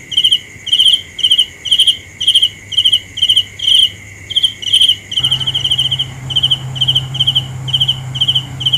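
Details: Night cricket giving rapid pulsed chirps about twice a second, the rhythm speeding into a near-continuous trill after five seconds, over a steady insect whine and a low hum that grows louder midway.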